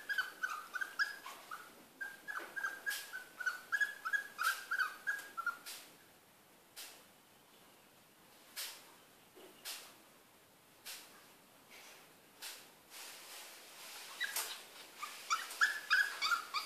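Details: A male poodle that taught himself to climb out of his cage within two weeks whimpers in a run of thin, high, wavering whines, then falls quiet amid rattling clicks before whining again. Cantonese speech is nearby.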